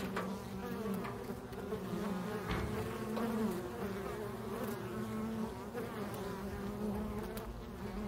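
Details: Swarming honey bees that left a backyard hive with the old queen and clustered on a pine tree branch; a continuous deep droning buzz with slight rising and falling whines drifting through.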